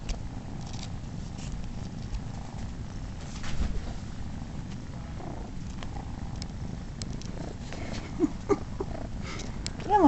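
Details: Male cat Momotaro, unrelated to the litter, lets three of Daisy's kittens nurse on him indoors while giving them kisses. His happy purring is a steady, low rumbling drone throughout, with a few faint small squeaks near the end.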